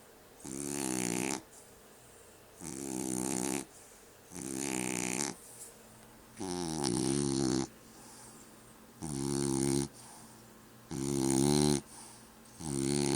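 A French Bulldog snores loudly, each rasping breath lasting about a second and repeating every two seconds.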